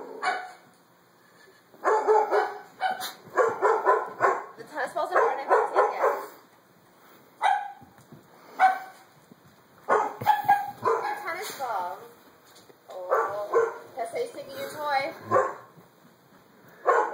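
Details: Doberman reacting fearfully with long runs of rapid barking, pauses, then whining, yelping barks mixed with human voices speaking over the dog.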